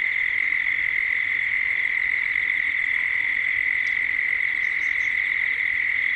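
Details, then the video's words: Dusk ambience from Gippsland, Australia, with cicadas: a continuous shrill droning buzz holding one high pitch throughout, plus a sharp faint click and a couple of brief high bird chirps near the end. "Cicadas at dusk"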